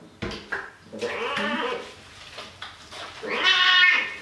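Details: Bathing pet cat, male, crying out during a shower with soap on a cold day; faint bumps and murmurs give way to one loud, strained, bleat-like meow near the end, echoing in a small bathroom.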